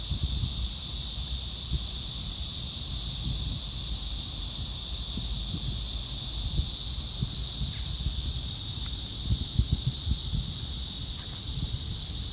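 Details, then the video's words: Massed cicadas droning together in one continuous, even sizzle of high sound over a low background rumble with scattered faint knocks. "매미들의 합창?!"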